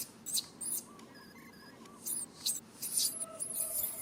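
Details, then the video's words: Young monkey named Rain cries for its mother Rany to help, though she cannot; short shrill screeching bursts come in clusters separated by brief quieter gaps, with a low background murmur. "Po-or baby monkey RAIN calling mom RANY to helps but can't."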